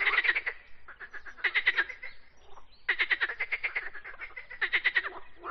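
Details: Singing frog giving loud rattling croak trains, fast clicking pulses grouped into bouts roughly every one and a half seconds, with softer overlapping croaks filling the gaps.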